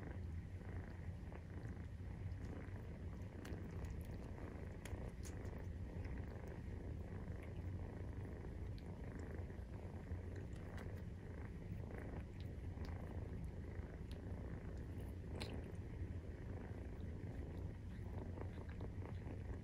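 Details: A Maine Coon cat, a nursing mother, purring while her 43-day-old kittens suckle, a steady low rumble that pulses evenly without pause.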